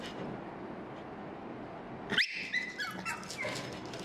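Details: Small pugs in Kuala Lumpur, Malaysia, give thin, high-pitched whines that rise and waver, with a few short yelps mixed in, crying in brief bursts as they beg for food.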